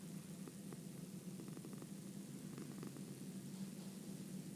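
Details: Domestic cat purring: a steady, low, continuous rumble with a faint pulsing texture, set against a constant broadband hiss.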